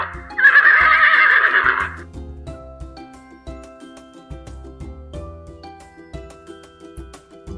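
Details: A single horse whinny, a loud tremulous neigh lasting about one and a half seconds, followed by light children's music playing on alone.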